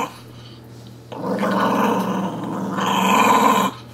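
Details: Playful growling from Sonny the puppy over his dolphin pillow pet indoors: after a quiet second, a grumbling growl begins and intensifies toward the end, with a person repeating "give me that" and a low hum.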